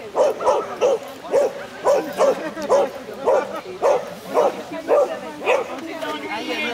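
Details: Shih Tzu Konbu barking at an agility jumper intermediate event, Terrebonne, 07/10/2016: a steady run of short, sharp barks, roughly two per second, with human voices faintly underneath.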